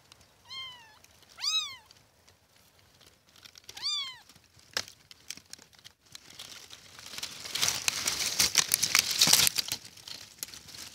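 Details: Kittens give three short, high, arched meows in quick succession, followed by a long stretch of loud crinkling and rustling handling noise.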